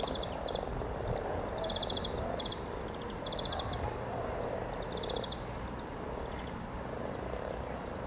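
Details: Spring mating frogs, hundreds of them, beside the riverside walk near Norwich's Cow Tower on 7 April 2013: a thick, low grumbling chorus with rhythmic high-pitched pulse bursts every second or so.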